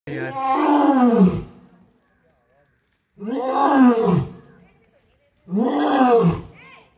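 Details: Lion roaring. Three long, deep, moaning roars, each about one and a half seconds, come roughly every two to three seconds. Each roar opens loud and falls in pitch as it fades, with silence between bouts. Afterward a person exclaims "Wow."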